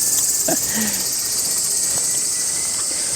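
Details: Cicada in rural Japanese countryside among green rice fields in summer, a very loud, continuous high shrill buzz with fast pulsing throughout, steady and unbroken, with a few faint low knocks and a brief distant voice beneath.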